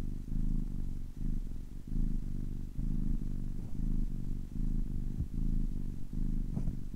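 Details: Ten-week-old kitten purring: a steady low rumble in rhythmic pulses, each breath cycle lasting under a second with brief gaps between, about 75 cycles a minute, no other clear sounds.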